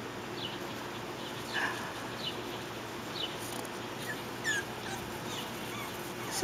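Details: Young puppies out of doors for the first time give scattered soft, thin whines and brief squeaks, some rising and falling, spread over several seconds against steady outdoor hiss.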